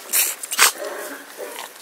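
A Cavalier King Charles Spaniel gives soft, whimpering cries while missing its owner.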